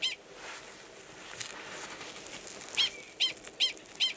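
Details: Male Gunnison's prairie dog giving a mating call near a burrow holding an estrous female, Valles Caldera National Preserve, New Mexico, March 2017; after a noisy stretch, four sharp, high chirps follow at roughly half-second intervals.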